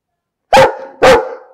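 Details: Barking dog, two loud, harsh barks roughly half a second apart, each with a ringing, fading tail, on an otherwise silent background.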